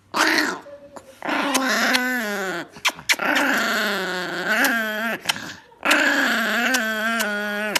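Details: Angry Chihuahua growling at someone indoors: long, loud, wavering whine-growls with a rich harmonic stack, rising and falling in pitch, in three drawn-out bursts separated by brief pauses and a few clicks.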